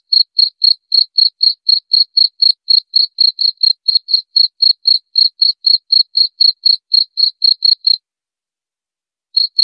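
A cricket gives steady, high-pitched chirps, about four each second, against a silent background.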